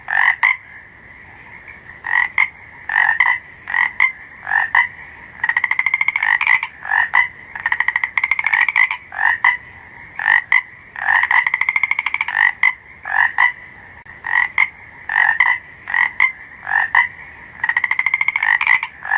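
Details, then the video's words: Frogs calling at night in a dense, continuous chorus of rasping, nasal croaks, some stretched into longer buzzy notes, others clipped and rapid, overlapping callers throughout with only short gaps. "BARULHO DE SAPO - SOM DE SAPO - SOM DE ANIMAIS – SOM DO SAPO COAXANDO – FROG SOUNDS AT NIGHT"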